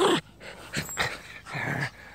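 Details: Schipperke dog playing in a back yard, giving short rough barking and growling bursts, three or four noisy blasts within two seconds, with a man's voice urging it to bring its toy.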